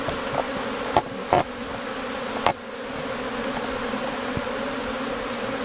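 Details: Honey bee colony in Newfoundland in May, days before it swarmed, with many bees flying at the hive entrance; continuous droning hum broken by several loud knocks or bumps near the start.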